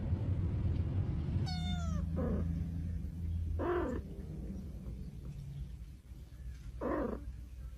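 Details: Domestic cat from a funny cat compilation giving a few short, quiet meows spaced a second or more apart, over a low humming background with a brief high squeak early on.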